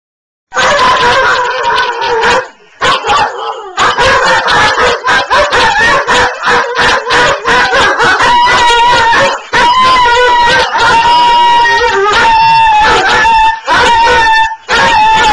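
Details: Dogs Oslo and Ballue howling indoors during cabin fever: dense, layered wavering cries with sharp yips and bark-like bursts, settling into a long steady high tone in the second half.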